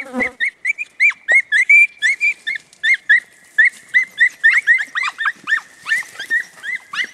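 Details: Podenco Andaluz hounds of the Los Romeros line from Baños de la Encina, Jaén, giving quick high yelping barks, each note rising then dropping, about three a second in an unbroken run, several voices overlapping.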